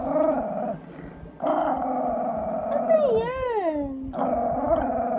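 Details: Shih Tzu throwing a tantrum, staged as if giving up on a diet: low harmonic grumbling moans, then a rising and falling whine that slides down, followed by more steady grumbling.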